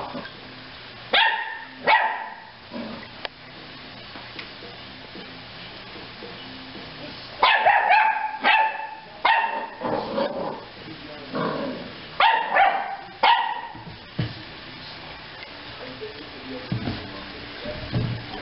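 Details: A young dog named Janet, a pup in the care of HART animal relief, barks in clusters of sharp, loud yips and barks separated by quieter pauses, with faint background hum.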